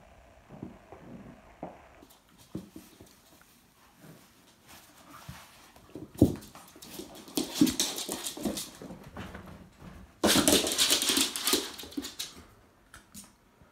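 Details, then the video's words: Two-month-old Jack Russell Terrier puppy play-fighting with a two-year-old Fox Terrier indoors; scattered short growls, whimpers and scuffling, with a loud burst of rough snarling and thrashing noise near the end. "JACK RUSSEL TERRIER (2 months old) VS FOX TERRIER (2 years old)"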